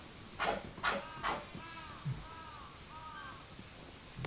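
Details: Polar bear Denali, a male at Maruyama Zoo on 5 March 2010, excited by daughter Pirika and mate Lala close by; three sharp breathy huffs, then faint squeaky arched tones and low knocks.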